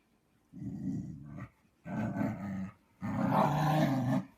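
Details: Siberian Husky grumbling in three low, rough bursts of about a second each, separated by short pauses, the last one louder and longer.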